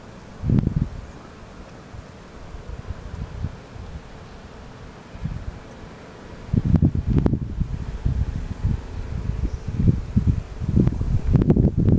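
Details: Only low rumbling wind buffeting and rustling are heard, with irregular thumps and no clear animal call.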